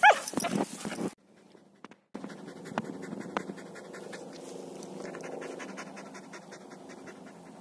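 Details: Luna the Samoyed meets another dog: a loud opening burst of breathy sound with a thin squeaky whine, a brief near-silent gap, then steady soft rapid panting to the end.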